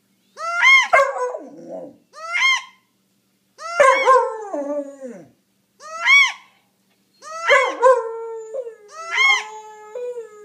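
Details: A pup gives six short, wavering howls about every one to two seconds, each starting high and sliding down, in response to the squealing notes of a wood duck call; dog.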